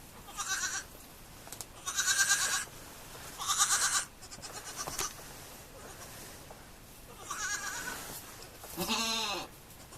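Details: Baby goats repeat loud, nasal bleats every one to two seconds, some wavering and one rising into a cracked, higher cry near the end.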